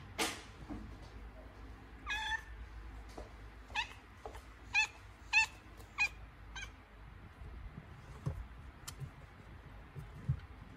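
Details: Domestic cat in labour, having contractions, gives a series of short harmonic meows, about eight cries over eleven seconds, some strained and rising, with quiet low room rumble between them.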